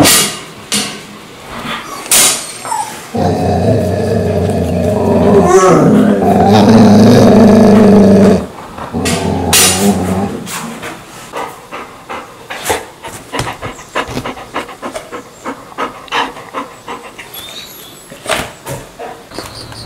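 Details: Mansu, a pet dog, makes a strange sound each morning to wake its owner indoors, where they have slept with air conditioning since hot weather began three months ago. A long, droning, growly moan lasts about five seconds, then scattered clicks and taps follow.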